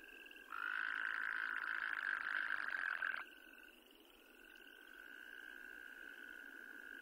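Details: Wyoming toad, an endangered species, giving one loud, steady, buzzy trill that lasts nearly three seconds and then stops abruptly. Fainter, similar trills run underneath before and after it.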